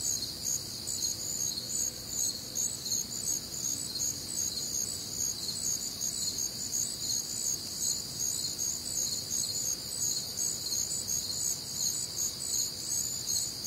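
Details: Midwestern summer night, warm and humid, filled with crickets: high, piercing chirps layered in a continuous chorus, pulsing slightly faster, near three beats per second, above a muted low background rumble.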